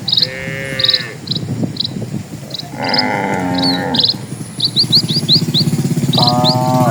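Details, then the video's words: Dozens of cattle walking slowly along a tranquil village road; three separate lowing calls, the middle one longest, with a low rumble of hooves or movement, repeated insect chirps and brief bird notes. "SUARA SAPI"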